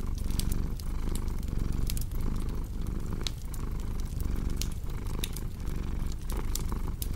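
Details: Close, rumbling purr of a cat, a dense low vibration broken into rhythmic breathing pulses, while a cozy fireplace snaps and crackles in the background.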